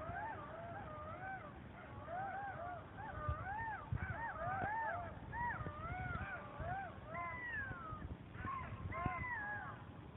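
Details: A territorial group of golden jackals (Canis aureus) howls together in Kras, Slovenia, near the Italian border, during a trans-boundary jackal survey: wavering, rising and falling overlapping voices with high yipping notes.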